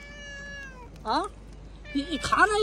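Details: Pet cat indoors giving two short arched meows, the first about a second in, the second near the end and louder with a rising then falling pitch, after a long steady whine-like tone; a woman talking nearby.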